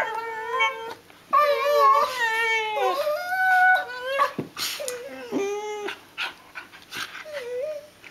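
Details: Two six-month-old Border Collie puppies, siblings, biting each other in play with new teeth, giving long wavering whines and yodelling howls that rise and fall, with short breaks and soft scuffling between calls.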